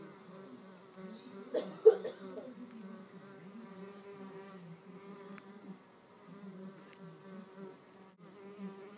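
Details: Red mason bees fighting over a nest cavity, pushing, shoving and biting; steady low buzzing with harmonic bands, wavering in pitch, a brief louder burst of buzzing near the start, then continuing fluctuating drone.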